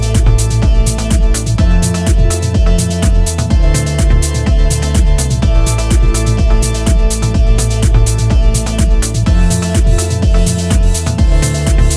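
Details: Loud electronic dance music with a steady thumping beat and sustained synth tones throughout, no animal sounds.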